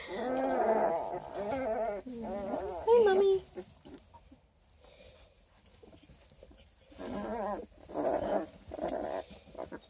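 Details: Twelve-day-old Redtick Coonhound x Black & Tan Coonhound cross puppies from a litter of eleven, near Kingston, Ontario, Canada, give wavering, quavering whines in bursts at the start and again near the end, with a woman's voice speaking softly over them.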